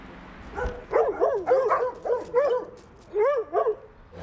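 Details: Seven domestic dogs behind the gate of a large house in the centre of Feuquières, a village in the Oise, France, bark whenever someone passes by, a run of short, tonal, yelping barks in quick bursts.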